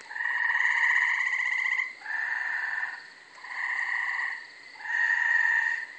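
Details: Several gray treefrogs in a thick, brushy undeveloped lot in Carolina, Rhode Island, on a May night, giving rapid rattling trills that overlap and alternate, each lasting one to two seconds with short dips between.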